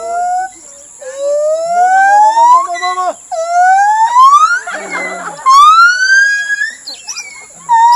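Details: A captive gibbon named Lisa sings at Khao Lak elephant village, giving long rising whoops that each slide upward in pitch and repeat every couple of seconds.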